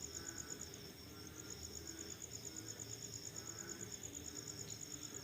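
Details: Crickets chirping in the middle of the night after rain: a steady, high, finely pulsed trill runs throughout, with a softer second band beneath it and a low rumbling background.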